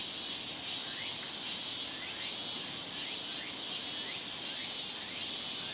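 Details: Japanese cicadas massed in a summer chorus (semishigure): a steady shrill wall of sound with quick upward-sliding buzzes overlapping roughly twice a second.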